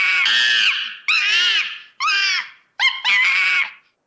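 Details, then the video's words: ['Monkey playing and screaming in its natural habitat: four shrill, harmonic screams, each roughly half a second long and separated by short pauses, with the last one starting with a sharp rising note.'] "Macaco Fazendo Macaquice Som de Macaco"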